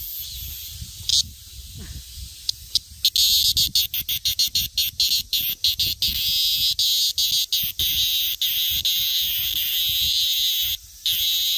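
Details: Minmin cicada screaming: a high shrill buzz broken by quick sharp ticks that speed up into a rapid stuttering run before a brief pause and return of the steady drone.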